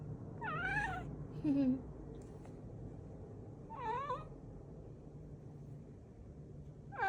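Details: Housecat with a chick-like cry gives several brief, bent meows spaced unevenly, including one low, short mew. Faint room hum runs beneath.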